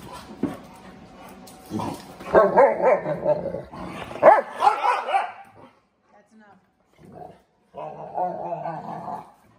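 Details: Puppies, a Plott Hound mix rescue and a Cane Corso/Dogue de Bordeaux mastiff, playing with an older English Mastiff/Dogue de Bordeaux female; short harmonic barks and yips mixed with a man talking and laughing, with gaps of quiet.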